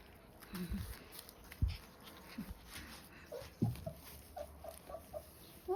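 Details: Baby German Shepherd puppies, 28 days old, whimpering: a string of short, squeaky whines in the second half, coming every few tenths of a second, with soft thumps and shuffling earlier and a person's voice nearby.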